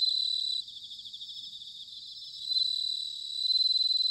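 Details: Bell crickets in autumn at Sanuki, Chiba, Japan: a loud high ringing chirp pulses rapidly, about four beats a second, then dips and swells back over a steady shimmering insect chorus.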